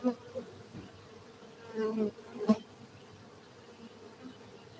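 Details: Honey bees at a beekeeping centre in Gayo, Aceh, Indonesia, where honey bees are cultivated: a steady, even hum of many bees, with brief louder knocks and rustles near the start and around two seconds in.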